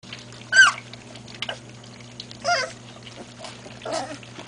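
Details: Great Pyrenees puppies learning to drink formula give three short, high whimpering squeaks spaced about one and a half seconds apart, the first the loudest and sharply pitched, over soft wet lapping and a steady low electrical hum.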